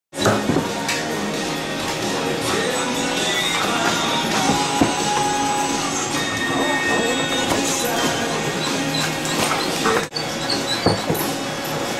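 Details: Dense music with rattling percussion and a faint voice, playing steadily before a brief break near the tenth second, then resuming; no animal calls stand out.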